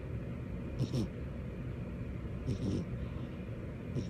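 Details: A sleeping female cat named Butters snores on a lap, giving three short, low, breathy rasps spaced about a second and a half apart against faint background hiss.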